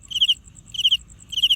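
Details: Cricket producing sound by rubbing its wings: three sharp, high-pitched chirps, each a quick burst of three or four pulses, spaced roughly half a second apart, with a faint continuous ticking insect tone above.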